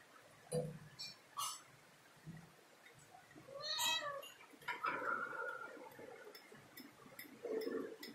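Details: Domestic cat climbing a ladder indoors, giving a few short sounds, then an arching, drawn-out meow that rises and falls, followed by softer, rougher calls in a small room.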